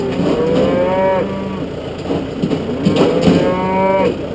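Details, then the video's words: Wild Galloway bull on a farm, giving two drawn-out, slightly rising moos, each about a second long, separated by a pause with rustling and low background noise. "wilder Galloway Stier"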